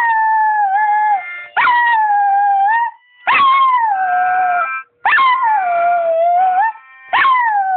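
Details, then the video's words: Pet dog Houdi howling to harmonica playing, with faint steady reedy tones underneath. Quick bursts of rising, yelping howls break into sustained drawn-out notes that dip and waver, coming in rapid succession with brief gaps. "singing howling dog"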